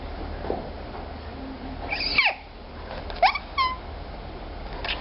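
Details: Rare young African clawless otter squeaking indoors: sharp high chirps that sweep up and down, a quick wavering trill near the end, over steady background hiss.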